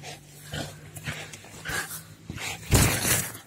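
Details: Very energetic American Staffordshire Terrier playing roughly with a person, giving a low rumbling growl at the start, then short gruff vocal bursts and a louder harsh outburst near the end, with a person speaking Polish nearby.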